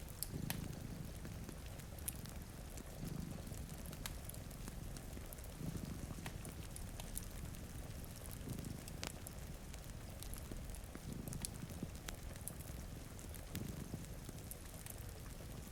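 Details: Two cats sleeping in front of a rainy window purring, a low rumbling purr swelling in slow pulses about every two and a half seconds beneath steady rain patter and the sharp snaps of a crackling fireplace.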